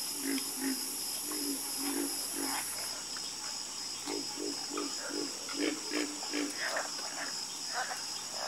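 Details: Dense frog chorus: many short, low croaks in quick runs, with brighter calls scattered above them. A continuous high-pitched whine runs throughout, and part of it stops after three seconds.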